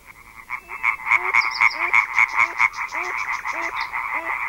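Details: Chorus of European tree frogs from a large gathering, a sound said to begin at dusk and carry over a kilometre: dense, rapid harsh croaks pulsing continuously, with short falling notes of another frog beneath.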